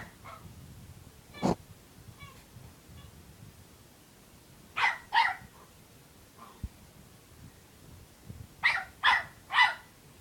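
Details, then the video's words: Puppy barking, unhappy and wanting to play: a few faint yips and a sharp click early, then two loud yappy barks mid-way and a run of three close barks near the end. "Unhappy Puppy Barking"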